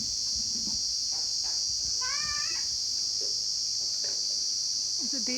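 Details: During rain, a loud, steady, high-pitched insect drone, described as very loud crickets, runs unbroken throughout, with a person's voice briefly heard.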